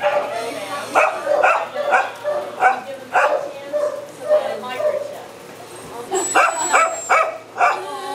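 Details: Caged little black dog at a shelter, crying: a rapid series of short, pitched whines and yips roughly every half second, pausing briefly midway before a fresh burst of squealing cries.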